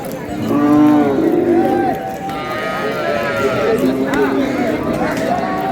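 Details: Cows with calves for sale at Ambari livestock market in Dinajpur, Bangladesh, on a Monday: a drawn-out low moo with stacked harmonics, then a second shorter moo, over crowd murmur and a man talking.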